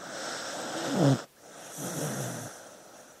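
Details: Sleeping dog breathing noisily: a long wheezy snore with a rough low rumble, cut off sharply at the end, then a softer breathy exhale trailing away.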